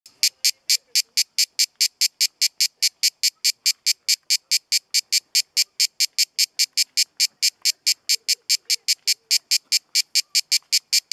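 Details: At Kaiser's Throne in Pelekas, Corfu, Greece, a cicada sings a harsh, high buzz broken into steady, rapid pulses, several each second.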